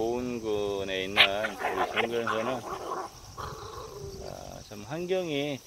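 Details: Jindo dog, one of the pair Hwarang and Jinbok, kept in a rural spot near Boeun, South Korea, giving drawn-out, wavering whining howls rich in harmonics, rising and falling in pitch, with a sharp yelp and a man talking between the calls.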